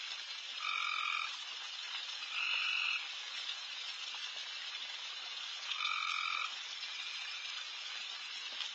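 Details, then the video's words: Loud night frog chorus filling a backyard where deer are feeding late: continuous hiss-like calling with several sharper buzzing bursts, two near the start and one later, each under a second. "Night Deer... with Frogs in surround sound"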